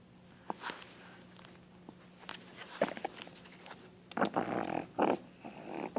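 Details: A female Boston Terrier puppy gives harsh, throaty coughs in a small room, sounding as if she has mucus or phlegm in her throat; owner worries she is sick.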